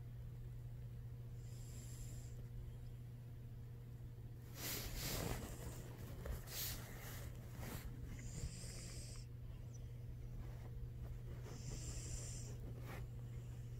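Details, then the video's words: Sleeping cat named Knives snores with airy, hissing breaths every few seconds, interrupted midway by a burst of rustling movement under a constant low indoor hum. "Knives the cat snores and wakes up"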